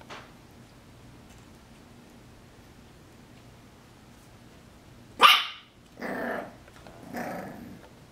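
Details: English Bulldog puppy Luna, recorded December 20, 2016, gives a sharp bark, then two rougher, throaty yaps after a long quiet stretch.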